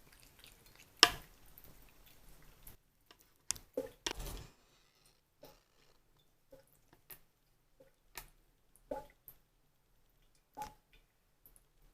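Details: Indoor water drips and short splashes from a faucet, with scattered clicks in a quiet room; no animal voice is heard.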